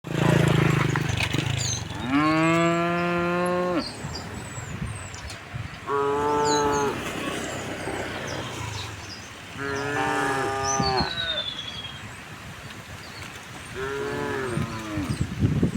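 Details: Tame cows walking along a rocky village road toward rice fields, mooing repeatedly: four long harmonic moos, some rising then falling, spaced a few seconds apart, with hoofbeats, thin high bird whistles and faint background noise.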